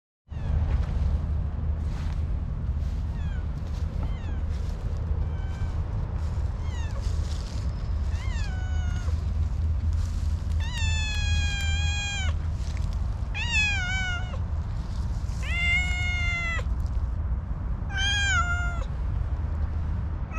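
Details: Orange tabby cat that is slow to warm up to people, calling in a very cute voice: faint short meows early, then a run of loud, drawn-out, slightly falling meows from the middle on, over a steady low rumble.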